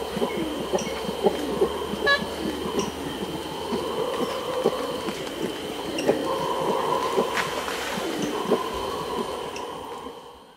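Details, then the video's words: Aggressive close-up grunting by a red howler monkey toward capuchins, quick throaty pulses running throughout, with the howler troop's sustained, humming roars rising and falling in the background and faint movement sounds. "Red Howler Monkey / CU Aggressive Grunts Towards Capuchins. Howler Troop In B/G."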